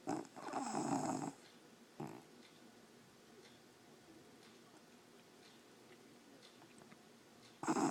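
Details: A sleeping English Bulldog snores loud indoors. Harsh, rasping snores of about a second open the recording, with a short snort near two seconds. Quiet breathing follows before another rough snore at the end.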